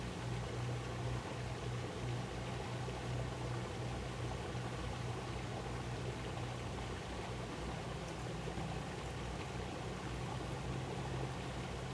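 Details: Rushing water pours steadily on Nami Island in summer, layered over a low droning engine-like hum, with no insect or bird voices standing out.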